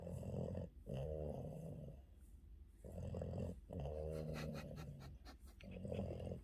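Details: Afternoon nap of Yoda the Boston terrier, heard as deep, gravelly snores in long drawn breaths of one to two seconds, separated by short quiet gaps, with faint rustling between them.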